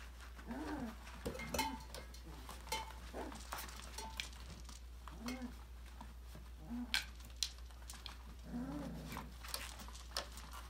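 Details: Five-week-old Australian Labradoodle puppies from a December 2020 litter play and explore in an enrichment playground indoors. Short, low, bending whines and grunts come every second or two amid sharp clicks and clatters like toys or dishes, over a steady low hum.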